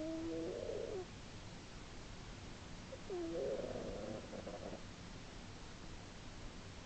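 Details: Snoring sleeping female house cat, March 2010, audible from three rooms away; two grating, nasal snoring breaths, the second longer and more ragged, separated by quiet breathing and steady low background noise.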